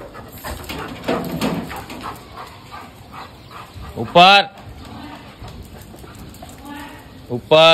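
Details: Dog at a training school in Jodhpur, India, 9 November 2022, barking during obedience training: two loud, sharp harmonic barks, one mid-way and one at the end, between a man's spoken commands in English and Hindi.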